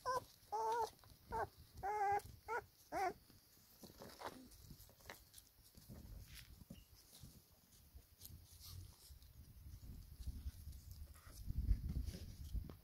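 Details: Black pedigree Labrador Retriever puppies, four weeks old, with their mother while feeding: a quick run of high, wavering whines and yelps over the first three seconds, then quieter rustling and soft low thumps.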